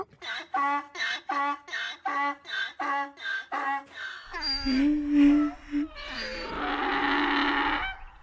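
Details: Donkey bray building up: a fast series of short, evenly spaced nasal grunts, then a longer droning tone and a harsh, broad, rasping blast at the end.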